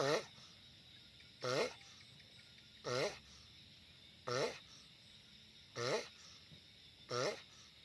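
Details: Giant sulcata tortoise making loud noises: six harsh, wavering grunts, each with stacked harmonics and a brief rise and fall, repeated about every 1.4 seconds over a steady faint background hum.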